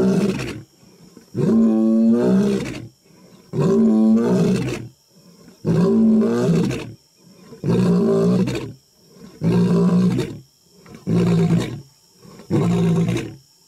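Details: A male African lion gives a series of deep, throaty roars, each about a second long and roughly two seconds apart.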